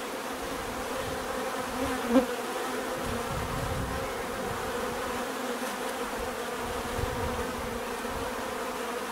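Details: Bees buzzing in a steady, dense hum with layered drone bands, a brief louder buzz passing close near two seconds and another faint swell later.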